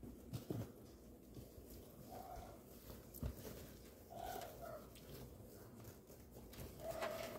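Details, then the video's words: Six Chihuahua puppies with their mother indoors; soft, thin high whines, short and steady-pitched, sound near the start, the middle and the end, over steady rustling and shuffling with a low background hum. "Six chihuahua puppies and their mother"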